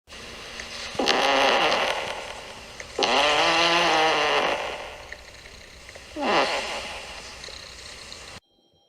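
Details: Sleeping kitten snoring: three loud, wheezy, nasal snores with a whistling, harmonic tone, each lasting one to two seconds and coming about every two to three seconds, with a quieter breath between them.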